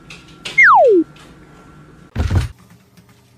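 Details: A cartoonish whistle slides quickly downward, then a dull thump follows, over a quiet indoor background with no animal voice.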